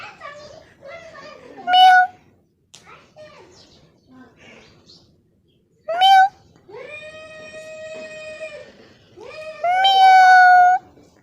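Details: Kitten giving high, drawn-out meows, one stretched to about two seconds, with a child's voice and soft speech heard between the calls indoors.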